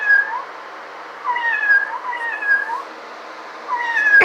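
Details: Cat producing soft, wavering mews in a rising-then-falling pattern, three or four faint calls with quiet gaps, ending in a sharp click, low hum throughout.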